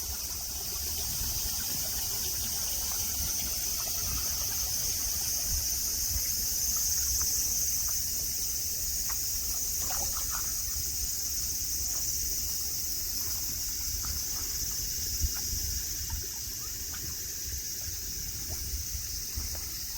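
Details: Cicadas droning in Nara Park, Japan, on a clear day with green mountains, grass and friendly deer; an even, sizzling high buzz fills the clip over faint low background rumble.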